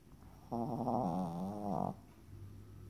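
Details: One long, drawn-out snore from a Yorkshire Terrier, compared to a chainsaw. It is a single rough, humming rattle of about one and a half seconds that wavers slightly in pitch, then fades into quiet breathing.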